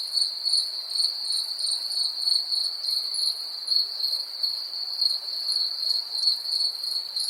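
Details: Crickets calling in a continuous high-pitched trill, a steady shrill band pulsing with slight rhythmic swells about twice per second, fainter higher overtones above, no other sounds.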